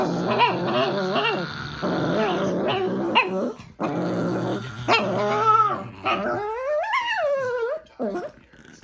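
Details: Tibetan Spaniel sharing grumble time with a pug indoors: a run of low throaty growls and grumbling whines, rising into yelping, whiny vocal wails toward the end, with a person briefly exclaiming.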